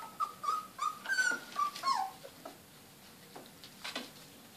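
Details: Four-week-old Border Collie puppies at play let out a quick series of high, squeaky yips and short whines, then fall quieter with a few soft scuffles.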